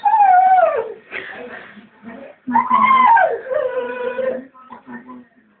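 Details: English springer spaniel singing at a bird in the garden: two drawn-out howls, each rising slightly then sliding down into a lower held tone, separated by softer whining notes.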